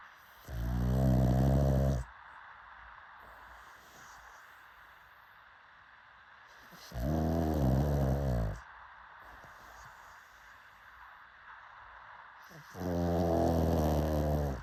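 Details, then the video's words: Pug dog snoring steadily: three long, low, rumbling snores roughly every six seconds, with soft breathing in the gaps. "Why Is Pug Snoring So Satisfying to Humans?"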